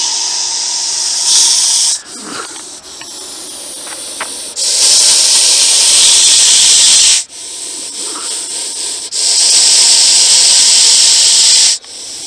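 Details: Aggressive Russell's viper during a wildlife rescue in Ahmednagar, Maharashtra, India, giving loud breathy hisses in long sustained bursts of two to three seconds, separated by short quieter pauses with faint rustling and handling sounds.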